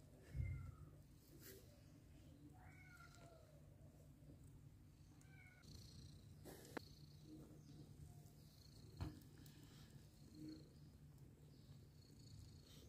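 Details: Mother cat with adopted kittens, heard in several short, soft mews and chirps scattered through the recording, some rising then falling, over steady low hum with occasional clicks and knocks.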